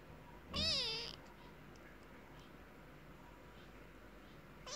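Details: Kitten calling to its mother, a single thin high wavering meow lasting about half a second, then near silence with faint background hiss and a brief sound at the end.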